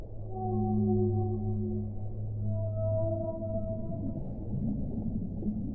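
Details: Whale song: long, steady low moans with layered overtones, the lowest tones holding for several seconds while higher wavering notes slide in and out, set over a soft watery rumble.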